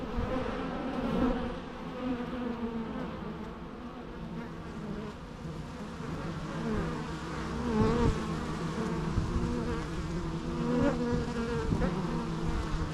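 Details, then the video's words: Bees buzzing steadily in a dense hum, overlapping wingbeat tones near 250 and 500 cycles drifting up and down, the drone swelling and fading gently throughout with no other sounds. "natural bee sounds"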